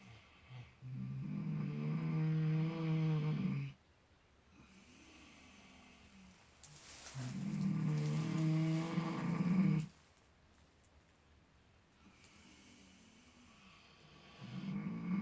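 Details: Clutch and Penelope, miniature potbellied pigs dozing and dreaming in fresh straw, snore in slow cycles: two long, low rumbling snores about six seconds apart, quiet breathy intakes between, a third beginning at the end.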